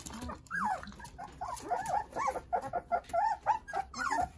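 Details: Jindo puppies, a litter of nine playing with mother Sarang nearby: busy chorus of short wavering whines and squeaks, several pups calling over one another in rapid bursts.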